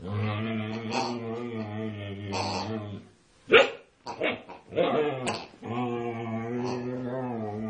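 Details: Female Siberian Husky, very vocal while attacking a pig: long, drawn-out, low harmonic moaning tones broken by a short pause with sharp yips and snorts, then the steady moan resumes.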